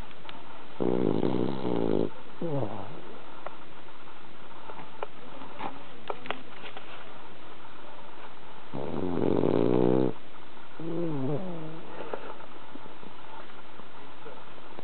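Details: Bronson, a pet deep asleep and worn out from walking at a cherry-blossom viewing, snores: harmonic, rasping drawn-out snores around one and nine seconds in, each followed by shorter wavering breaths, with quiet breathing between.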